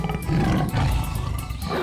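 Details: A tiger (Panthera tigris) gives a deep, rough, rumbling roar, heavy in the low register, that holds steady for nearly two seconds, with faint music possibly underneath.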